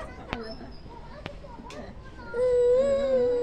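A young goat gives a drawn-out, nasal bleat after a few soft clicks and rustles.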